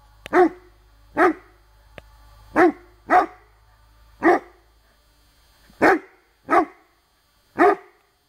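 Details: Rhodesian Ridgeback baying at a branch in woodland while working on the bark command; eight loud, deep, single barks spaced roughly one second apart, with a faint click early on.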